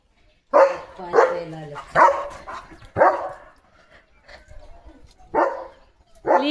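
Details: German Shepherd dog barking in the morning in a home yard where a sparrow has nested and laid eggs. Loud single barks come at irregular intervals of about one second, with a quieter gap midway and a man speaking softly.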